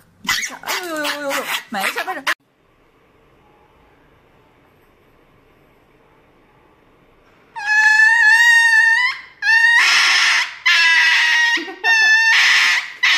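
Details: Dog receiving an injection, indoors in a small room: a brief wavering whine at the start, then a quiet gap before loud, shrill, high-pitched yelps and screams in long bursts, several in a row over about five seconds.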